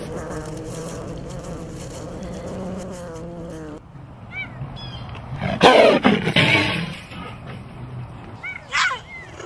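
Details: Big cat roaring: a low, steady harmonic rumble for about four seconds, a pause, then a loud, harsh burst of roaring lasting about a second, with short high chirps, likely birds, near the middle and end.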